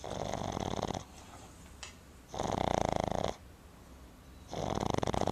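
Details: After a day spent at the river, Boston Terrier puppy Timber sleeps and snores loudly indoors, producing three rattling, purring snore bursts about every two seconds separated by quiet exhalations.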